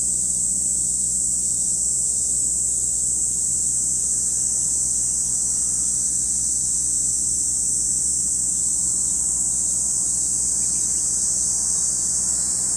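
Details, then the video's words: Steady high-pitched drone from cicadas at Lake Kamo in Sado City, Niigata Prefecture, Japan, unvarying for the whole stretch, over a low continuous hum. "Lake Kamo in Sado City, Niigata Prefecture, Japan, where you can hear the voice of cicadas."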